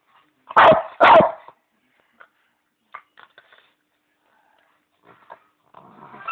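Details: Leo, a pet Bichon, playing with his squeaky bone: two loud, sharp barks close together near the start, then scattered soft clicks and faint squeaks, with a brief rustling noise at the end.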